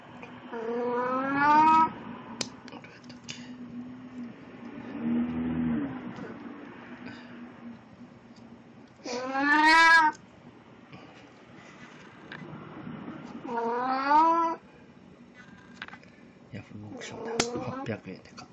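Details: Puran, a pet cat in Snow White cosplay, filmed 1 April 2017 with a souvenir of Kan yellowtail; four loud, wavering meows spaced several seconds apart, with quiet voices and room noise in the gaps.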